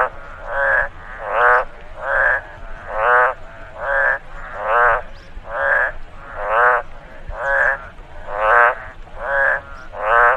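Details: Repeated frog croaks from a rice field after rainfall, roughly a dozen rough, pulsing notes at a regular pace of about one per second, with a faint ambient hiss in the pauses.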